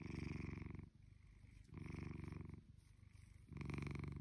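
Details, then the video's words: Indoors, a spoiled blue British Shorthair kitty called Shelby, almost two, gives a loud rumbling purr in three bursts separated by fainter breathing pauses. "Lazy british shorthair cat💖🔝 sound on"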